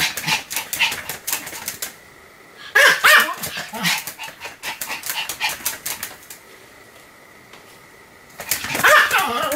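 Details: Sam, a Pomeranian, in a spell of continuous barking dated 7 October 2015: rapid, harsh, clattering barks in dense bursts, a quieter stretch with a steady background hum, then another loud burst near the end.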